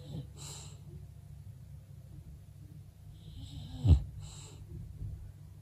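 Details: Female English bulldog asleep and snoring: a steady low rumbling drone throughout, with soft breathy hisses near the start and end and a brief sharp knock just before the four-second mark.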